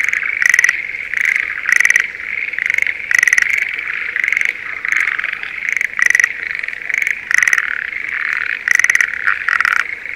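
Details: Spring mating chorus of Schlegel's green tree frogs in paddy fields outside Sendai, Japan: distinct clattering trills repeat about every second, each a quick burst of pulses over a softer constant hum of more frogs.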